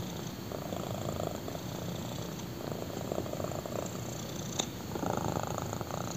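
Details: A black kitten lies on someone's thigh and purrs, a continuous low vibrating rumble swelling in regular breaths, with a brief soft click near the end.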